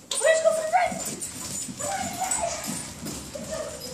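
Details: German Shepherd puppy and wheaten Terrier at play: a high, thin whining whimper that holds steady and then slides, followed by softer, shorter whines, with a voice talking over parts of it.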